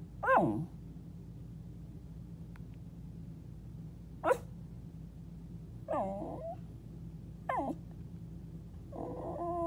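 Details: Indoor pet dog beneath a bed makes a series of short falling yelps and whimpers, five separate bursts across the clip, ending in a brief warbling moan, low hum in the background.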